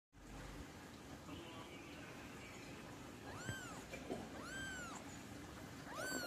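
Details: Doll face Persian cat meowing indoors: three arched, rising-then-falling meows, each under a second, against a steady low hum.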